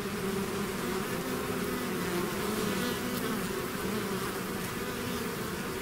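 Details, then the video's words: Steady droning of a bee swarm out of the hive, many insects buzzing at once into a continuous, slightly wavering hum with no pauses. "bees therapy swarm natural buzzing sound"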